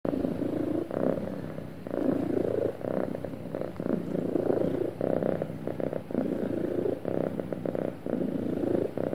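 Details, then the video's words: Happy domestic cat purring smoothly, a continuous low rumbling broken into breath-paced pulses about every second, alternating inhale and exhale phases, with no other sounds. "Happy Cat Purring Smoothly"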